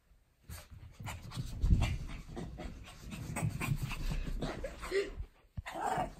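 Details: Shih Tzu named Lacey having zoomies, with Blue Persian cat Lexi looking on; quick rhythmic panting and scuffling bursts after a silent start, steady through the middle, a brief pause near the end, then more breathy puffs.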